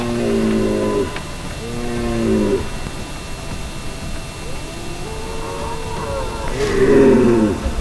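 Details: Rutting red deer in Val di Pejo, Stelvio Park, Trentino, Italy, giving mating bellows: two drawn-out, throaty roars in quick succession, a pause, then a longer wavering roar that swells and fades, with steady low hiss behind.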